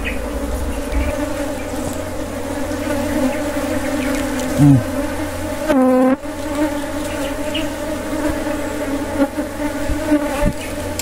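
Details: Honey bees drone steadily around a wild honey harvest, a low layered hum lasting over ten seconds, interrupted by a short sharp bump and then a brief loud rising whine midway.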